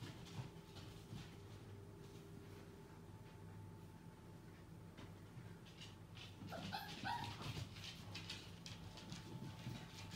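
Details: Six-week-old Welsh Springer Spaniel puppies, with a short cluster of high whimpers and yips midway through, otherwise mostly quiet over a steady low hum.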